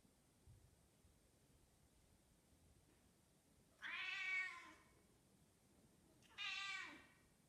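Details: A 10-month-old female British Shorthair in heat calls twice with long, wavering, harmonic meows, each close to a second long, summoning a tom, with a quiet room between them.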